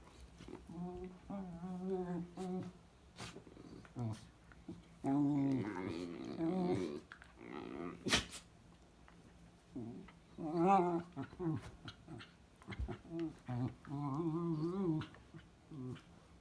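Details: Two dachshunds playing together make funny noises: rumbling growls and drawn-out, warbling, moaning yowls in bursts of one to two seconds. Short pauses and faint thumps come between the bursts.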